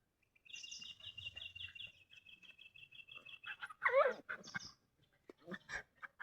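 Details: Little puppies playing in a village: a thin, high, wavering whine held for about three seconds, then a burst of sharp squeals and yelps.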